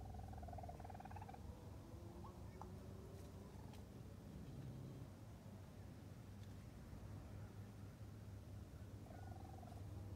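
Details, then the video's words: A mother raccoon visits with her new kits for the first time on June 22, 2022. The kits are still very vocal, giving loud, soft, trilling chirps over a steady, low purring rumble. "Mother Raccoon With New Kits * Chirping Sounds!"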